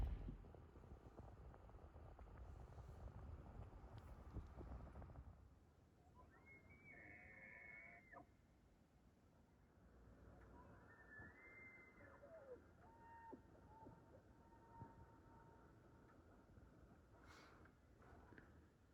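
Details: Bull elk bugling to their harems in the distance at dawn on a cold 38°F Sunday morning in Rocky Mountain National Park, recorded on iPhone; two high, drawn-out whistled bugles, each about two seconds, after low rumbling background noise.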